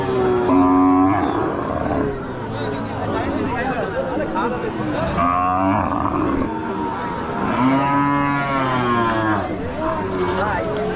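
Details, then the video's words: Cattle calling at a popular village cattle market: drawn-out, resonant moos swelling and fading, three main bellows spaced a few seconds apart, amid steady background talk from a crowd. "Cow sounds at very popular village cattle market"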